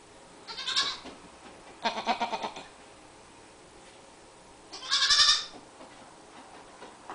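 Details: Two young goats wearing colour-coordinated sweaters, indoors in a kitchen, playful and jumping; three short quavering bleats at about one, two and five seconds, separated by quiet gaps.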